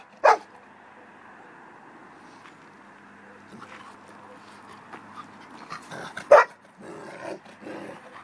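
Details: A neutered 1.5-year-old long-haired German Shepherd male awaiting adoption barks twice, sharp single woofs about six seconds apart, with a woman talking to him softly in Greek between and after the barks.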